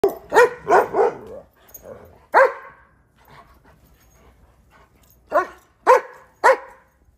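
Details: German Shepherds playing in the snow during a cold, icy Chicago winter, chasing each other alongside a Rhodesian Ridgeback; a quick cluster of loud, harmonic barks, then a pause and three more sharp, spaced barks.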